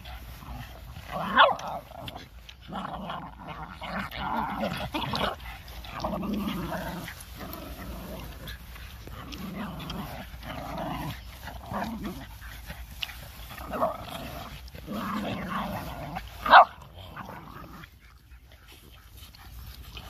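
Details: Boston Terriers at play, four dogs including young puppies: long stretches of low, rolling play growls and snarly grumbles in repeated bursts, broken by brief quiet pauses and two sharp yelps.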